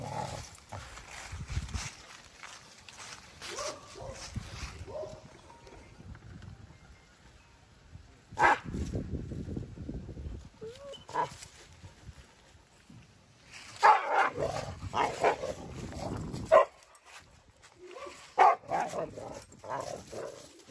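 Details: A German Shepherd and a Boxer playing together: sporadic rough growls and short bark-like bursts come in clusters between quieter gaps, with a person speaking briefly in the background.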